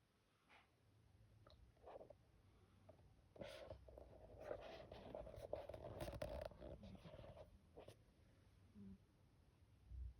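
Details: Quiet, breathy sniffs and snuffles come from a black cat as she sleeps, bunching into a busier run of short nasal puffs midway. The room is otherwise hushed, with only a faint low background hum.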